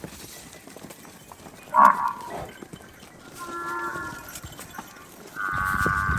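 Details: Water buffalo lowing: a sudden loud, harsh bellow near two seconds, then a softer, drawn-out tonal moan, and a strong sustained call at the end, over a constant low background hiss.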